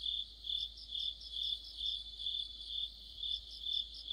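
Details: Autumn insect orchestra led by crickets by a streetlight, a dense high-pitched trilling that rises and falls in steady pulses roughly every half second, with layered chirps from many insects.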